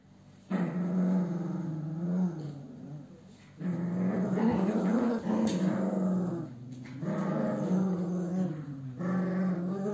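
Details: Cavalier King Charles Spaniel, a male named Ethan, growling in long low rumbling bursts of several seconds each, separated by short pauses, loud and close indoors.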